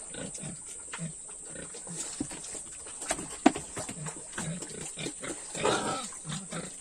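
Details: Pigs on a farm at feeding time: a string of short, low, rough grunts repeated through the clip, with a brief sharp squeal midway and a louder grunting burst near the end, over a steady high hiss.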